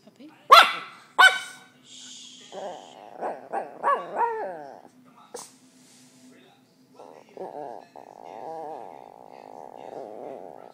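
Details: Higgins, a pet dog told not to bark, growls at dogs on the television instead; two sharp bark-like bursts open, then voices, then a long, rough, pulsing growl holds through the final seconds.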